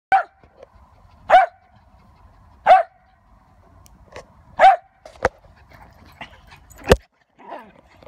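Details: A female Lakeland Terrier barking while playing frisbee: loud single barks repeated about every one and a half seconds, then a few sharper, shorter yaps and soft sounds at the end.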